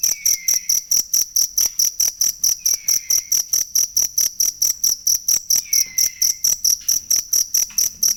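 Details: Authentic cricket sound for songbird masteran: continuous shrill pulses repeating quickly and evenly, with three faint down-slurred whistles appearing in the background.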